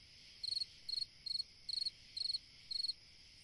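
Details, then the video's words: Cricket song on a summer night: six evenly spaced chirps, each a rapid trill of about five pulses, over a continuous background hum of insects. "Chant d'un grillon dans une nuit d'été / Singing a cricket in a summer night"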